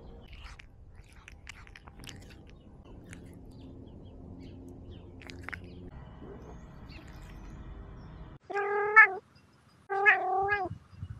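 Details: A domestic cat gives two drawn-out, wavering meows near the end, each about a second long with a brief pause between; before them a quiet stretch of low hum and faint steady tones.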